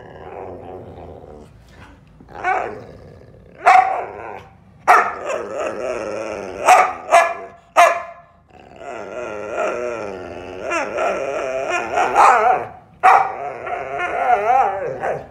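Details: Whippet waking up hungry and grumpy, grumbling in wavering, moaning growls broken by short sharp bark-like yelps, with pauses between bursts and a long drawn-out warbling grumble near the end.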